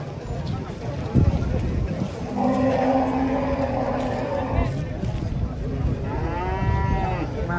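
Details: Massive sacrificial bull unloaded from a truck at a market while buyers negotiate: one long, steady, deep moo lasting about two seconds, followed later by a higher sweeping call, amid talking and music.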